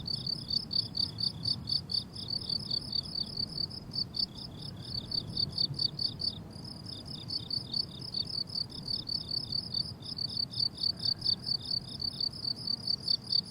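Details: Several crickets chirp together in a blooming summer meadow, high thin trills repeated rapidly with short gaps around four and six seconds, layered over a quiet low rumble.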